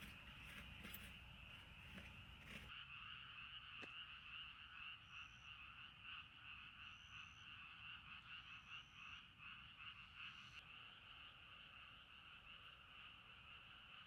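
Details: A chorus of frogs at night by a river at a campsite in Sapporo, Hokkaido, Japan, steady trilled croaking throughout, with rustling and clattering handling noise at the start and a few thin high whistled notes.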